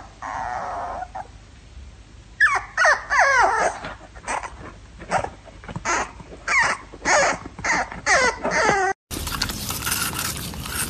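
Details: Jack Russell Terrier letting out a rapid run of high, bending yips and whimpering cries, about a dozen in bursts over several seconds. A constant low hum sits underneath, and louder mixed noise follows after a cut.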